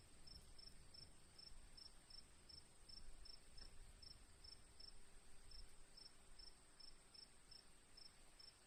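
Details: Cricket chirps sound as bright, clipped pulses repeated roughly three times a second, sometimes pausing briefly, above a constant high insect-like drone and faint low background noise.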